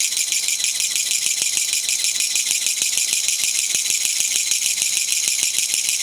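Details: Japanese katydid (kutsuwamushi), likely released into a garden after flying indoors, singing there on 20 September 2014; known locally as gachagacha. Loud, continuous, harsh rattling buzz with rapid regular pulses, filling the high range throughout.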